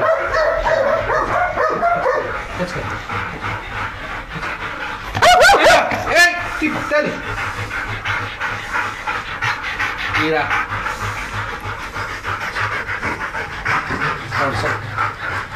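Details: Belgian Shepherd Malinois guard dogs, trained to guard a large industrial area at night, in Nauplion, Greece. Rapid irregular breathy panting runs throughout, with brief whimpers. A man repeatedly calls and praises the dogs in Greek over the panting.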